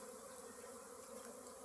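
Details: Many honey bees at a hive in a home courtyard, gathering honey from mustard fields and storing it at the hive; a thick, unwavering hum of countless wings with a soft hissy upper layer.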